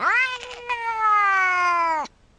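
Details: Cat meowing in a single sustained, clear tone that rises quickly, holds nearly flat, then drops sharply as it ends after about two seconds; quiet background.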